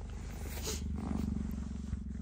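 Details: Female cheetah Gerda, captive, moving toward the male cheetah Messi after he left her enclosure, voicing displeasure while defending her home: a low, pulsed, rumbling growl that runs steadily for over two seconds.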